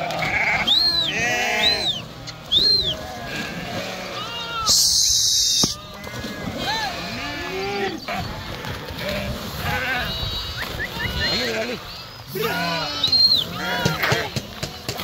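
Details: A flock of sheep swimming in the Krishna River bleats loudly and repeatedly, short rising-and-falling nasal calls overlapping from many animals, with a brief burst of loud broadband noise midway and water sounds throughout.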